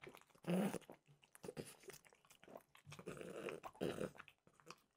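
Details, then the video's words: French bulldog eating peanut-butter-flavoured dog treats indoors; crunchy, irregular bites and wet chewing in short bursts with brief pauses, close to the microphone. "Frenchie ASMR - Trader Joe's Dog Treats Peanut Butter Flavored"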